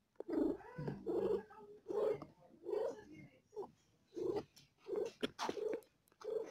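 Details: Mother cat in labour with four kittens, in pain: strong rhythmic purring in pulsed bursts about a second apart, each with a low humming, moan-like tone.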